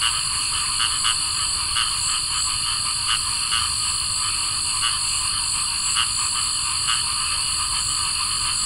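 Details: Summer night with cricket frogs and other wildlife: scattered, dry clicks sounding every second or two over a constant shrill insect hum.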